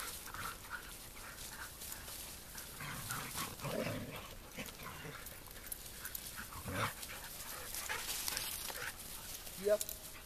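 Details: Sled dogs playing and wrestling together, giving low rough growls and grumbles around the middle of the recording amid rustling movement noise, with a short sharp sound near the end.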